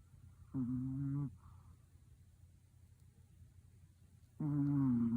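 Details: Sleeping Pomeranian, worn out, lets out two drawn-out humming snores about four seconds apart, each lasting under a second, with near silence between them.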